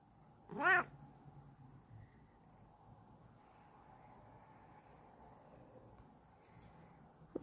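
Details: A female Bengal cat stretching out her paws gives one short meow, a quick rising-then-falling cry under half a second long, followed by quiet indoor room hum and a faint click at the end.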